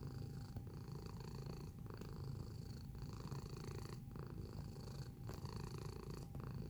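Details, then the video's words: Close-up domestic cat giving a continuous low purr, its rumble rising and falling with breaths about every one to two seconds. "Feline Observational Video - Purring Sound Effect"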